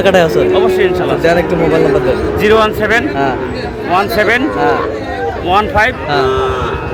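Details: Sahiwal bull calves for sale at a busy cattle market, bought by a Noakhali farmer on 16 August: repeated hoarse moos, some rising and falling, mixed with loud voices and sharp clicks.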